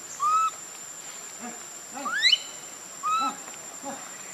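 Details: Baby monkey Leo crying loudly while begging its mother for milk: short clear whistled wails, a few rising cries and one long upward-sweeping squeal in the middle, over a faint steady high hiss.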